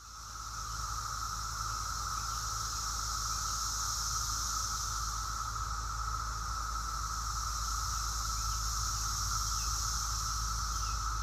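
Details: A vast chorus of 17-year periodical cicadas, numbering hundreds of thousands if not millions, in Appalachia between late May and mid-June, makes a steady, loud, whining drone that never lets up.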